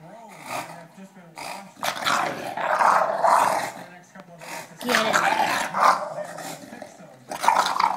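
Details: An English Bulldog attacks a person's foot in play, making rough, low growls in irregular bursts between short pauses, mixed with laughter and Spanish speech nearby.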